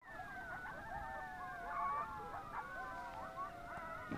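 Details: Coyotes at sunrise, heard during a bike ride: several voices howl together in long, overlapping, sliding tones with wavering yips, forming a dense chorus over soft steady background hiss.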